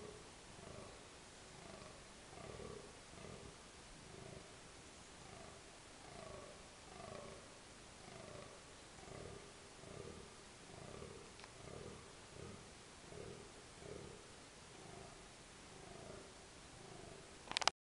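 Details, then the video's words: Red deer stag in rut at park Berg & Bos, dusk, October 2014; a long, steady series of deep, rasping grunts, each under a second long, repeated almost every second for the whole stretch against steady hiss. "Burlend hert"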